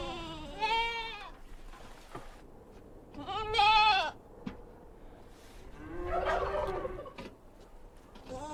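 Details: Several bleats from goat kids on a mountain farm, spaced every two to three seconds, each quavering and roughly a second long, the third loudest, with light rustling and knocks between calls.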